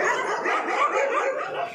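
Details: Dogs on a street walk, with street dogs attacking a Rottweiler and two German shepherds: a dense, continuous tangle of overlapping yapping barks from several animals, with no pauses.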